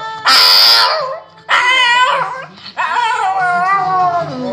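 A Shih Tzu howls in three drawn-out, wavering bursts, each rising then sliding down.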